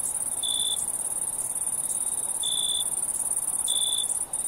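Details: Cricket at night, three short high chirps spaced about 1.5 seconds apart over a steady, shrill, continuous insect drone.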